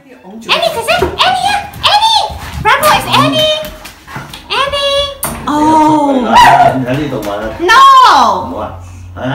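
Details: Pet dog reunited with its owner after a long time, indoors, giving high, arching whines and yelps that rise and fall in pitch, overlapped by excited human voices greeting it.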